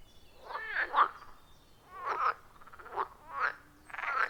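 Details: Frog chorus at a wild forest pond, recorded with a phone and clip-on microphone; rasping, pulsed croaks in bursts roughly every second, overlapping callers with varying loudness, no music or voices.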